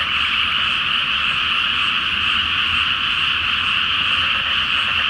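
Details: Many frogs croaking together at night over the water of a Japanese rice field before planting, full moon overhead; a thick, steady trilling chorus.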